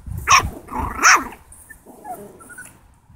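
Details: Seven-week-old Italian Greyhound puppy: two sharp, high, harmonic yelping barks about three-quarters of a second apart, followed by fainter soft squeaks and whines trailing off over the next two seconds.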